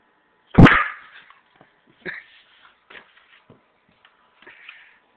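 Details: A female Weimaraner waiting at home for her owner gives one sharp bark, then a few short, high whines and yips, while a woman talks softly asking if Mama is coming.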